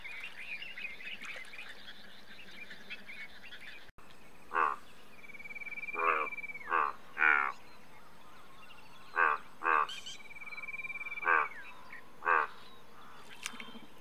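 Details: Indian bullfrog giving loud, pulsed, rasping croaks in separate bursts, about eight over ten seconds at uneven spacing, with a thin steady whistled tone and faint insect hum behind.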